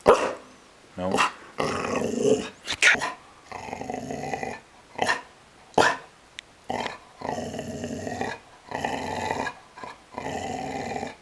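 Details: Pet dog, female, being trained on command to bark and growl, recorded on a Canon SD 960 IS; a sequence of rough growls and short barks in bursts separated by brief pauses, with the owner's voice occasionally heard.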